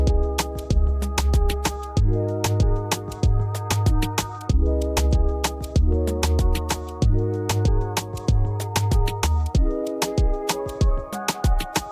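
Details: Electronic music with a steady drum beat and deep bass, with no animal sounds.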